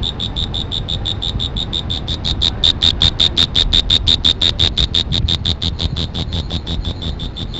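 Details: High, clipped insect chirps repeat about three times a second, swelling louder through the middle before easing off, over a soft low rumble.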